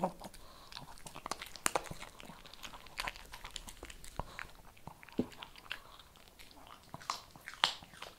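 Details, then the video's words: Shih Tzu munching kibble: dense, uneven crunches and snapping bites over about eight seconds, several strong cracks standing out, with no other clear sounds. "SHIH TZU THE MOST CHEWING"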